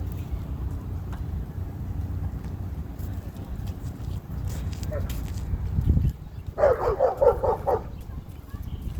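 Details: Zuma, a female Cane Corso at a dog park, acting as enforcer and correcting other dogs: after a quiet stretch of low rumble and distant voices, a rapid burst of sharp, harmonic barks runs for about a second and a half near the end.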